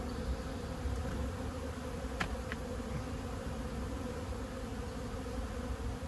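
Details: Honey bees from a 15-year-old hive being extracted from behind house siding give a steady low droning hum, with a couple of brief sharp ticks partway through.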